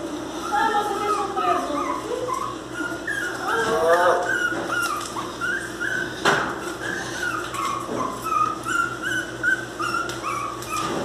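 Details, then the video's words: Miniature Pinscher puppies crying with high, wavering whines and yelps that slide up and down in pitch, overlapping almost continuously, with a steady low hum underneath. "Filhotes de cachorro pinscher mini bravo chorando"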